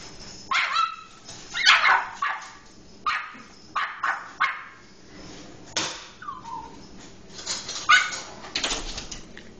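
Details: Pet Cairn Terrier guarding the house against a visiting pest control worker: short, sharp barks in separate bursts, about eight over the span, with a person speaking soothingly in between.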